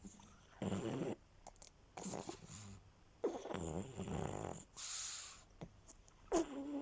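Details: Pug asleep and resting, giving a series of rough, rattly snoring breaths in separate bursts roughly every one to one and a half seconds, some edged with a thin whistle, with short quiet gaps between.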